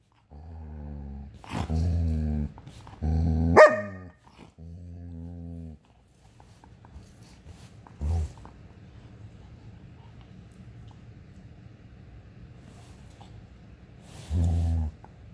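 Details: German Shepherd wanting to play, mixing low drawn-out growls with sharp barks in the first six seconds, then a quiet stretch broken by a short growl and a final growling bark near the end, indoors.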